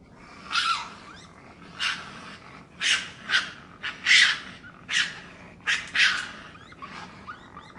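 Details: Raccoon giving a series of harsh, raspy bursts, about seven over eight seconds, each short and breathy with some tonal edges, spaced irregularly over a steady low background hiss.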